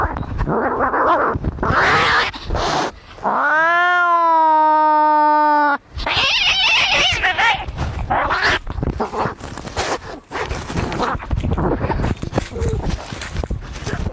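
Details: Angry fighting cats, a recording meant to drive away rats; harsh hissing and spitting bursts around a long drawn-out yowl that rises then steadies, followed by more loud snarling and scuffling.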